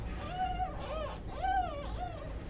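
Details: Newborn kittens resting while their mother cat has stepped away give four short, arched, high mews in quick succession, each rising then falling in pitch, over a low steady background hum.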